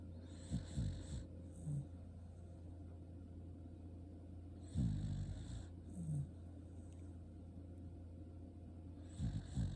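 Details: Shiba Inu dog asleep and snoring: deep, rumbling, low-pitched snores, each about a second long, come roughly every four to five seconds over a steady low background hum, with quiet breathing between them.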